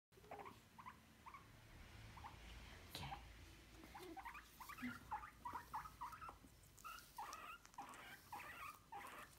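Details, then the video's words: Domestic guinea pigs squeaking while being brushed: many short chirpy squeaks near the upper-middle range, some rising, coming in irregular bursts, with soft rustling and patter of handling throughout. "Guinea pigs brushing squeaking"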